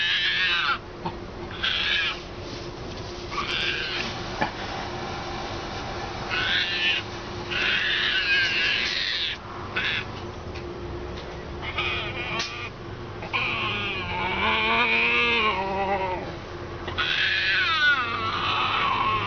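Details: A hand-reared baby female striped hyena, frightened of one particular person and hiding defensively between two chairs, gives high, harsh squeals and wavering whines in quick, uneven bursts.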